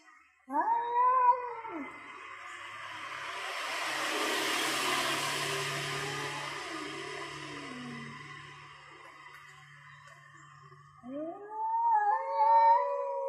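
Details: Male cats, one orange and one grey, confront each other over territory before a fight; drawn-out wavering yowls at the start and again at the end, with a broad hissing rush of noise in between.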